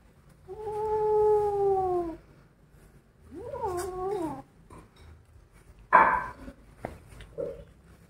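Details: Kittens angered while eating a rat give a long sagging moan, then a shorter wobbling growl, followed by a sharp noisy thump and faint scuffling sounds.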